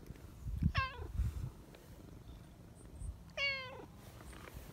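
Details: Chatty silver tabby street cat calling out to a person hiding behind a bench: two clear, slightly falling meows separated by about two and a half seconds, with soft rustling between.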